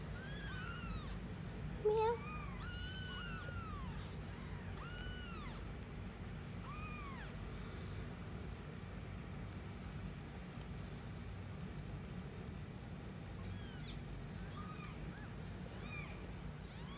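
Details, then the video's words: Several newborn kittens mewing while being fed at a cat café: thin, high, arched squeaks, often in quick pairs or runs, busiest early on then sparser, with a constant low rumble underneath. "Catfe feeding newborn kittens"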